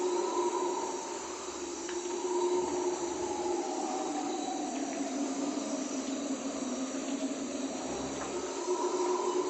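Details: Guyanan red howlers howling around 03:00 on a rainy night in the Amazonian rainforest: a continuous low droning roar that slowly swells and shifts in pitch, under a steady hiss of rain.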